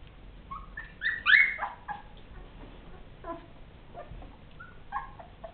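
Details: Ten-day-old Rhodesian Ridgeback pups whimpering: a few thin, high squeaky whines, one stronger rising-falling cry early, then fainter scattered squeaks over a steady background hiss.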